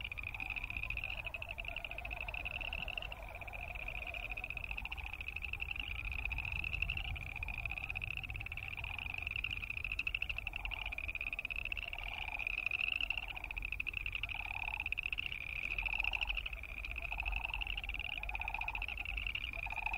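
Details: Boreal chorus frogs calling together in a dense chorus of rapid, pulsed, rising trills that overlap without pause. A lower pulsed burst repeats about every second and a half beneath them, over a low background rumble.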